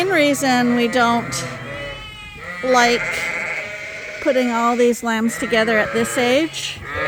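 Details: Suffolk lambs racing around the barn at Ewetopia Farms after groups got mixed; loud, trembling bleats from several lambs overlap continuously, some short and choppy, others drawn out.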